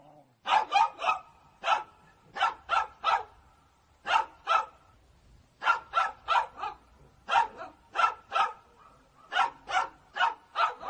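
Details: Angry dog barking steadily: rapid sharp barks in groups of two to four, evenly spaced, sustained throughout with a faint voice low in the background.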